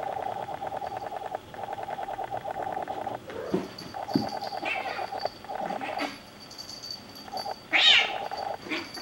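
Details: Two Bengal kittens playing or fighting at home; a steady rhythmic purring runs through most of the clip, broken by scuffling thumps and a sharp short cry near the end.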